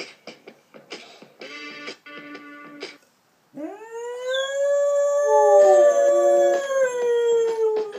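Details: A Siberian Husky howls along to its favourite song, Gary Glitter's "Hey" song: a long, drawn-out howl that slides upward and holds steady over the music.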